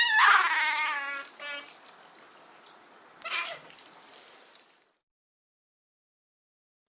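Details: Giant otter from Argentina: a loud harmonic squeal in the first second, then a shorter cry and a few faint clicks and scrapes before falling silent.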